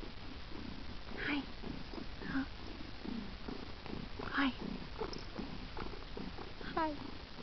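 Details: Daddy X, a male house cat, purring indoors. Several brief chirping trills rise and fall over a low continuous rumble, spaced about one to two seconds apart. A woman talks gently to him.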